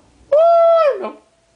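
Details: Maggie, a pet dog, singing the blues: one sustained, steady, clear howl-like note lasting about half a second, bending slightly downward at its end, followed by a brief lower, rougher sound before quiet returns.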